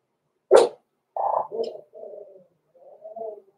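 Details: Blenheim Cavalier King Charles Spaniel pups Roman and Blue, six weeks old, in their home puppy pen; one sharp yelp opens, followed by a string of drawn-out, whiny, tonal whimpers that fade and return after a short gap.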